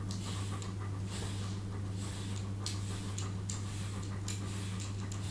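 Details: German Shepherd indoors during a home grooming session recorded for ASMR; rhythmic, breathy panting bursts repeat roughly every half second, hissy and soft, over a constant low electrical hum.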